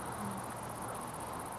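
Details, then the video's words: Great Green Bush-Cricket, several individuals present, at Itchen Valley Country Park, Southampton, Britain, beyond a barbed-wire fence; a very high, steady, rapidly pulsing buzz runs through the whole moment over a low background hum. "Great Green Bush-Cricket"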